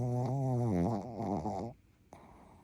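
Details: Sleeping Pekingese × Shih Tzu mix dog, Rupa-chan, a female, snoring indoors: a low, harmonic, buzzy snore lasting under two seconds with a wavering pitch, then quiet breathing and a faint click.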